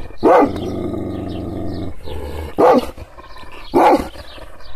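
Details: Kangal shepherd dog made angry by hand movements, untouched: one sharp deep bark followed by a long low growl, then two more barks spaced about a second apart.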